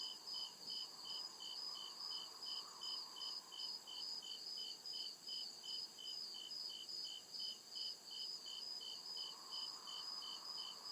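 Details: Deep-woods crickets at night: a fast, regular train of shrill chirps continues for about eleven seconds over a dense high-pitched drone, with a soft wavering hum beneath.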